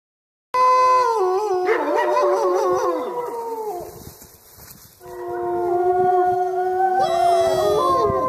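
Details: Wolves at the Lakota Wolf Preserve howling together at Christmas: several long, overlapping smooth howls, some sliding and wavering, a brief dip midway, then renewed layered howling with higher voices joining.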